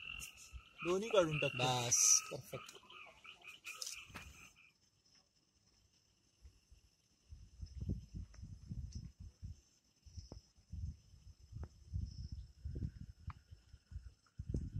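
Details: Frogs calling at night in the Amboli hills forest, Sindhudurg, with no added music: harmonic sweeping sounds and a steady high insect tone open the recording, then bursts of low, rough croaks pulse in clusters through the second half.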